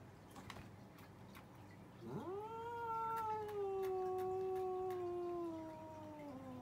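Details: Cats arguing: after two seconds of quiet, one long drawn-out yowl rises sharply, then holds a steady, slowly sinking wail for about four seconds before fading lower at the end.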